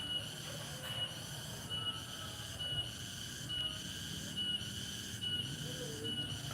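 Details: A cicada sings in a village on a Thursday late afternoon into evening, a steady, shrill buzz that swells slightly a little more than once a second.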